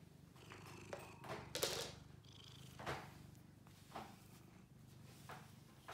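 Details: Purring from Bailey, a blue point lap cat aged seven: a continuous low throaty rumble beneath repeated scratchy rustling and soft knocks, as if fur or fabric is being handled.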